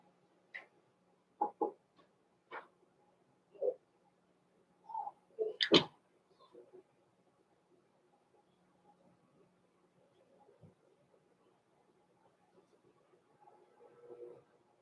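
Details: Blenheim Cavalier King Charles Spaniel puppies, born November 14, 2022, in an indoor puppy pen: scattered short high yelps and soft whimpers over the first six seconds, one sharp louder yelp, then near quiet with faint whining at the end.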